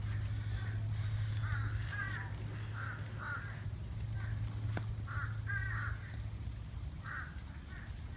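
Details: Mating turtles at Flamingo Gardens, Davie, Florida: the male's odd nasal squawking noises come in a run of about a dozen quick, wavering bursts, some doubled, above constant low background hum.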